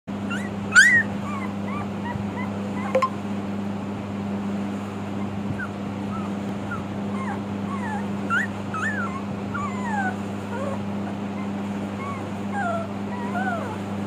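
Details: American Akita puppies whimpering and yipping: many short, squeaky whines that bend up and down, scattered throughout with a few sharper yelps near the start, over a steady low electrical hum.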